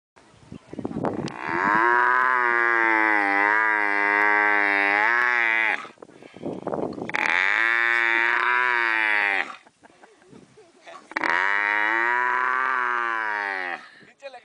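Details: Three long, loud moaning bellows from a camel, each lasting two to four seconds with a slightly wavering pitch and separated by short pauses with breathy noise in between.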